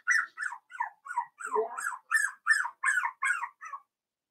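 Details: Daisy's Cavalier King Charles Spaniel puppies, four weeks old and kept in a pen, let out a run of about a dozen thin, squeaky whimpers, each dropping in pitch, in quick succession before falling quiet.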